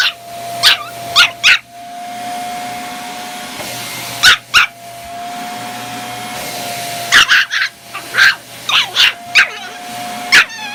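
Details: A Chihuahua puppy gives sharp, high yapping barks in quick bursts, reacting to the steady drone of a vacuum cleaner.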